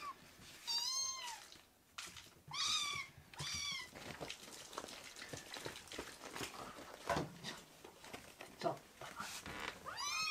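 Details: Rescued foster kittens, baby cats leaping together onto a man's leg; three or four high arched meows early and one at the end, with a man's voice and indoor handling noise in the quieter middle.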